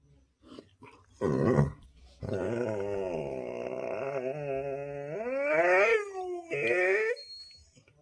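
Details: Coco, a Labrador Retriever, eager to go out on a scooter ride, lets out a long, drawn-out whining howl that wavers and then climbs in pitch, followed by a brief higher yelp.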